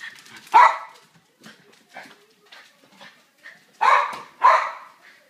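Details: Boxer Rockie and silkie terrier Pumpkin at play in a house, chasing after a ball; a loud bark opens, soft scattered noises follow, then two strong barks close together.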